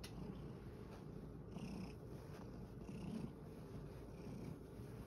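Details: A rescued male cat, tired after playing in a field, purrs in a low, steady rumble that swells gently about 45 times a minute, with a soft airy hiss in the background.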